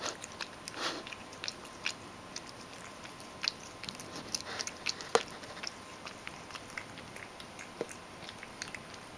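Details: A Ragdoll cat named Mojio chews crushed dry food moistened with hot water. Scattered crunchy clicks and wet smacking come irregularly, with one louder lapping burst near the start.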